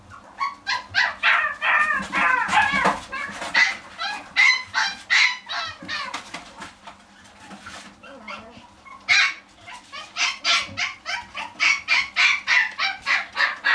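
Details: Pet-shop dog yapping rapidly and insistently, bright high barks packed three or more per second in long bursts, with a short lull midway before the yapping resumes just as fast.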